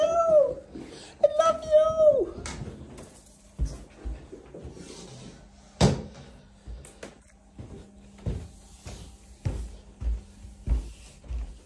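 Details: ChiChi, a pet Chihuahua, greeting its owner indoors: two high, arching whining cries with rich overtones in the first two seconds, followed by scattered thumps, knocks and soft shuffling in a small room.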